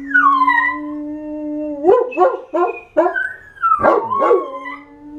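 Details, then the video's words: Pet dogs howling: a long, steady, low tone holds for nearly two seconds, broken by a quick run of yelping barks, then a higher wavering howl slides down and settles into another sustained low note. "My crazy howling dogs..."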